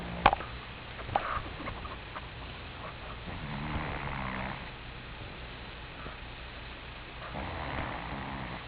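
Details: Alex the Cat, a pet cat, snoring while asleep: two drawn-out, low rasping breaths a few seconds apart, over a steady indoor hum with a few faint clicks.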